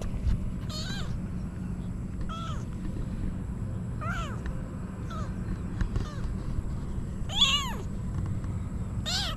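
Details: Female kitten calling, seemingly wanting to climb onto her owner; a run of short arched mews, some high and thin, others fuller, spaced about one to two seconds apart over a constant low background hum.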